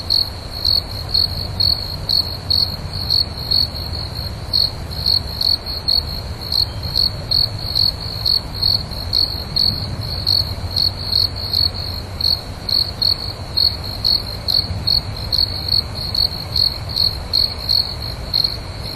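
A cricket chirps steadily, short high pulses repeated a couple of times each second.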